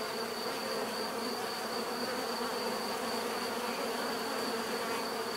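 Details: Unbroken droning hum of many bees, level and dense for the whole stretch, overlaid by a fixed high-pitched tone and no other distinct sounds.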